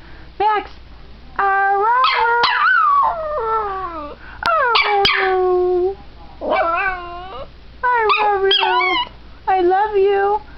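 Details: A pet dog trying to say "I love you" produces a string of yodelling, whining howls that bend up and down in pitch, some short yips and some longer phrases, broken by brief silences.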